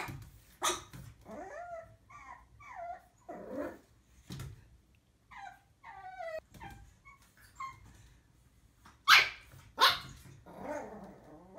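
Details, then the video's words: Puppies barking in a compilation: sharp high yaps scattered irregularly, interleaved with thin rising whines and squeaky whimpers, a pair of loud barks near the end. "Los mejores LADRIDOS de PERROS CACHORROS"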